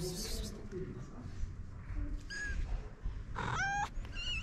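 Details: Stray mother cat and her kittens on a street in Morocco, waiting for food. Several short, high-pitched meows come at intervals over a steady, low rumble of street noise.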